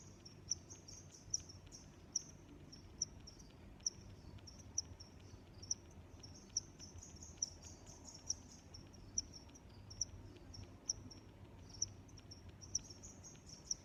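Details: Nature ambience of crickets: evenly spaced, piercing chirps about every 0.9 seconds, sixteen or so in all, riding on a constant shrill buzz, with a low steady rumble underneath.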